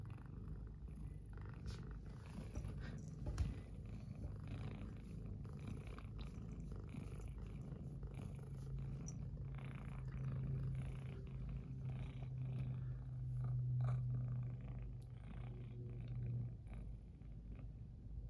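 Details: Indoor cat, greeted with good morning after sleeping hugged with another cat by the oil heater during a cold snap, purrs in a fast low rumble, swelling louder in the second half with a slight hum.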